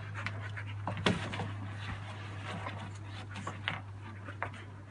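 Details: Cheerful dog breathing in quick airy pants, one louder huff about a second in, then gentler rhythmic exhalations, a steady low hum running underneath.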